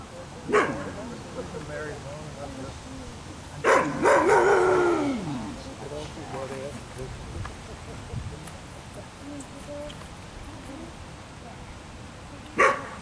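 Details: Ava, an Afghan Hound on a picnic outing, lets out a short bark, then a longer wavering bark that falls in pitch, and one final sharp bark much later, with low chatter and outdoor background noise between.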